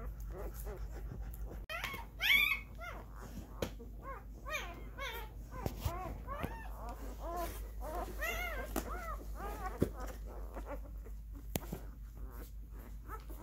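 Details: Whimpers and squeaky yelps from husky mix puppies in a litter of twelve fosters raised indoors from birth for nine weeks. Short rising-falling cries overlap densely, with a few sharp knocks and faint voices in a small room.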